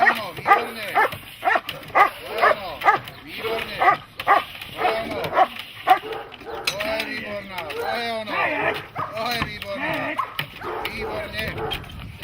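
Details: Dog in protection training barking in a fast, repeated series, roughly two barks a second at first, then the barks run together under spoken commands and repeated praise from a trainer.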